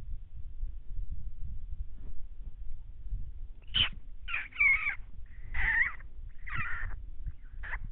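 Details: Howling coyotes, three groups calling in 2019 as one stalked deer along a fence line: a handful of ragged, wavering yips and quavering cries spaced about a second apart over low background rumble.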